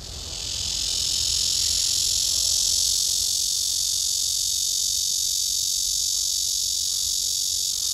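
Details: A Blackish cicada (Cryptotympana atrata) gives a loud, steady, high-pitched buzzing drone that swells and then holds unbroken; the cicada is seen urinating, seemingly tense.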